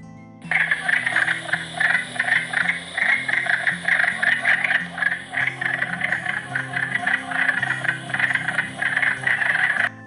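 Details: Wood frogs, medium-sized frogs of about 8 cm that favour woodland ponds, call in chorus with rapid, raspy, duck-like quacking clucks overlapping into a steady rattling chatter; finding: wood frog.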